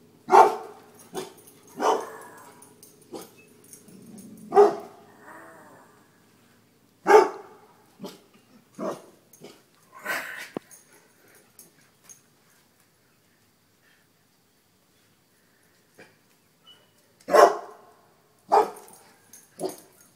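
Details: Dogs barking at and running from a deer mount indoors: bursts of loud, harsh barks in quick clusters, then a long quiet gap before more sharp barks near the end.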